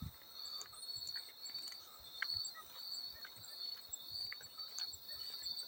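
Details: Field cricket sound mixed for relaxation and sleep: a steady, thin, high-pitched trilling chirp runs throughout, while soft water splashes and drips break in irregularly underneath.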